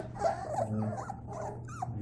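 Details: Labrador Retriever puppies at play indoors make soft, wavering whimpers and a short rising-then-falling whine near the end, over a constant low hum.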